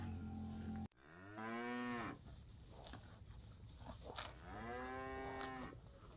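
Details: Cattle wandering through a fresh grass field, grazing; a sharp click early, then two long, harmonic moos, the second longer and slightly falling at the end, with low rumbling background.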